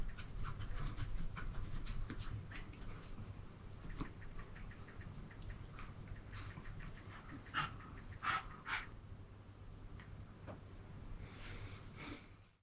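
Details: Eight-month-old uncastrated male Toy Poodle, born 14 April 2023, panting while mounting for the first time; rapid breathy huffs run steadily at about two and a half per second, with a few louder bursts around the middle over a low steady hum.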